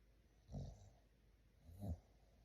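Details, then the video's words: Sleeping English Bulldog puppy giving two short, low snoring snorts about a second and a half apart, with a quiet room between them. "Rate my snoring."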